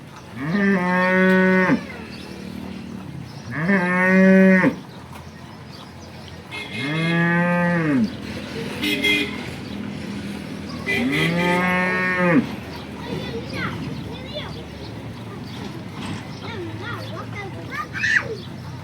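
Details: Banaskantha local cows, including a horned cow in her first lactation: four long, deep moos spaced a few seconds apart, each sustained and harmonic-rich, then quieter rustling and faint background sounds.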